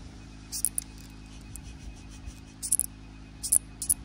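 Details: A katydid (Pseudophyllus sp.) makes a bird-like sound: brief, very high, sharp chirps in small clusters separated by pauses of about a second, over a low, steady hum.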